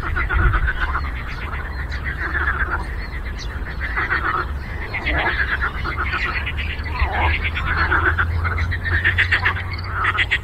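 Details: Lake frogs in full chorus: rapid, ratcheting croaks stacked on one another, individual calls swelling and fading every second or two, over a steady low drone.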